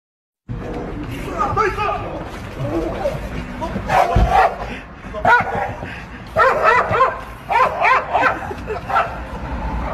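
A German Shepherd gives a run of loud, deep protective barks, with people talking nearby.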